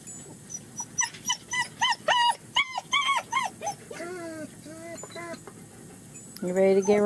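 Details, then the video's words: German Shepherd puppies on their first time outside with their mother at a Mayo, Florida kennel; rapid high whimpers and squeals repeated several times a second, then longer wavering cries and a loud whine at the close. "GSD puppies experiencing first time outside with Mom Pure Torture"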